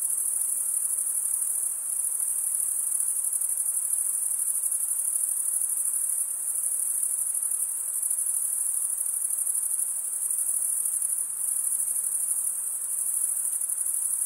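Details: Continuous cricket chirping made by rubbing the wings together: a shrill, even, high-pitched pulsing drone holding steady throughout, with only slight swells in loudness and no other sounds.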